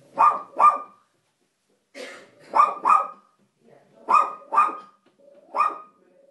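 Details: Two dogs sitting on a window sill indoors, barking in quick pairs and triplets: short, tonal, mid-pitched barks in four clusters over six seconds, with quiet gaps between.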